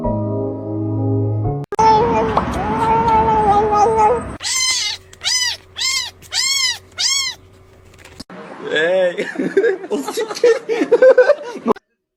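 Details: Cat giving about six short arched meows in quick succession over a steady musical tone, between stretches of speech and music.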